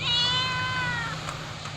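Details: Fluffy white house cat, described as hungry, makes one long clear meow, steady then gently falling, over a low constant hum.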